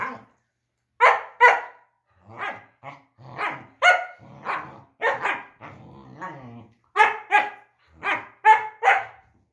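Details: A German Shepherd playing with his puppy: a lively run of sharp barks and yelps, often in pairs, mixed with low growls and a short wavering whine, in a quiet setting.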